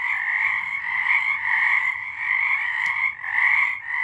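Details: Many frogs call together on a March night in 2023, making a continuous, buzzy layered trill that swells and fades slightly, with one short click near the end.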